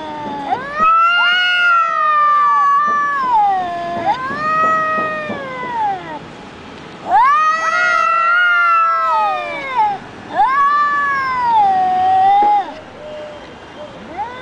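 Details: A verbal fight between two cats: loud, sustained yowls that swell and bend downward, repeated in long overlapping bouts with brief pauses, rich harmonic tones dominating throughout.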